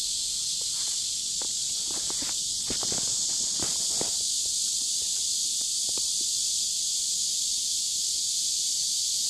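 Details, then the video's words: Cicadas singing beside a river in warm summer, dated 23.7.15: a steady, dense high-pitched hiss-like drone fills the clip, with footsteps and rustling crackles underneath in the middle seconds. "Las cigarras cantando junto al río en cálido verano"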